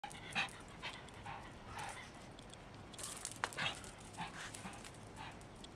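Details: Japanese Chin reacting to a neighbour's dog barking: a few short, sharp, breathy yaps or huffs near the start, middle and around three seconds, mixed with soft panting-like breaths over a low steady indoor hum.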